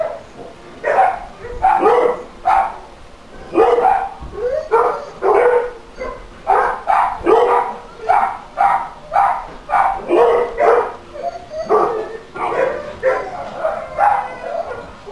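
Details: Dog causing a barking nuisance, recorded for council noise monitoring: continuous, insistent barking, around twenty sharp barks in fifteen seconds with only brief gaps between them.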